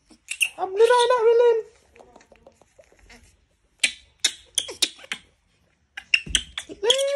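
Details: Disturbed monkey screaming: a drawn-out, wavering high-pitched cry of about one second, then scattered clicks and short sharp knocks, with quieter rustling between.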